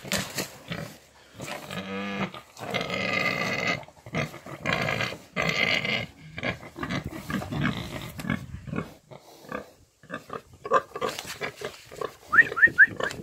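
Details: Romanian-breed piglets, eight months old, on a farm: bursts of harsh broadband grunting and rough squeals of varying length, broken by short pauses, with a few brief high chirping squeaks near the end.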